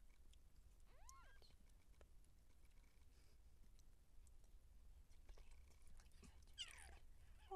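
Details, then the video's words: Seal point Siamese cat giving birth to kittens: a single brief arched mew early on, followed by scattered rustles, handling clicks and a scraping burst near the end, with a constant low hum throughout. "Cat Giving Birth Siamese SealPoint"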